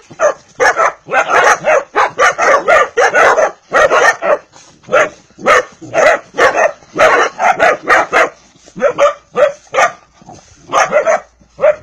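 A Vizsla puppy gives rapid, high yips and short barks in a quick, uneven series.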